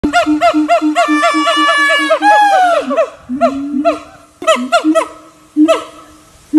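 Siamang giving a fast run of loud, honking barks, then rising wails and short separate hoots.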